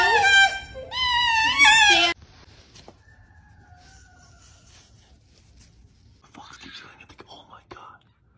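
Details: A fox gives two loud, wavering, harmonic screams over about two seconds, the pitch bending up and down, followed by near silence with faint background noises and a soft rustle near the end.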